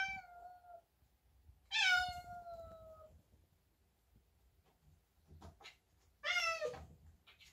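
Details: Male tabby cat indoors during a bathroom routine, by the sink and mirror: three long, slightly descending meows, the first trailing off, then two louder ones spaced several seconds apart, with faint handling noises between.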